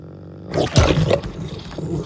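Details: Canadian wolf, filmed on 16 April, his birthday, showing his dominant character: a short rough broadband growl-roar burst, loudest near the middle, over low rumbling tones, then fading into softer rasping.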